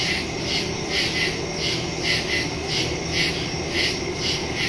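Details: Night-time woodland crickets, captured September 2, 2023 using a Shure MV88+ stereo mic on a Samsung Galaxy S22 Ultra; many insects overlap in a bright, continuous trill that swells in soft beats roughly every half second.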